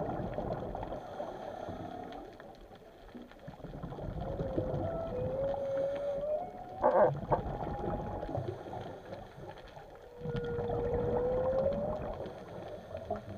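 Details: Whales underwater give drawn-out, rising tonal moans over a steady underwater rumble.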